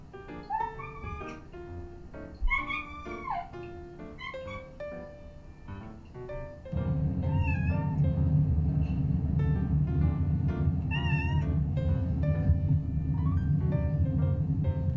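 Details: Two female pet cats, a prick-eared Scottish Fold and a long-legged Munchkin, hear their own meows played back while gathered together; rising and falling meows repeat over piano music, and a steady low rumble enters halfway through.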